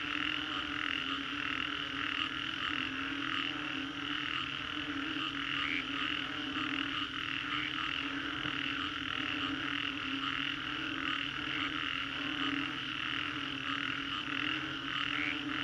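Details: Post-storm frog chorus in the Green Corridor, Singapore: dense overlapping croaks in regular pulses throughout, occasional sharper high notes, and a continuous low background hum.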